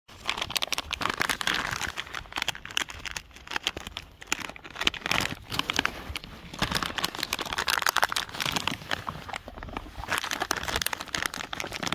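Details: Dense crinkling and crackling, like a snack wrapper being handled, continues throughout, with no animal call.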